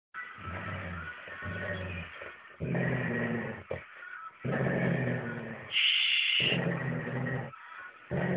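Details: Pet dog, a female, growling as she habitually does while carrying chew sticks around; low rumbling growls in bursts with short pauses, some higher whining overtones and a brief tonal squeak near the end.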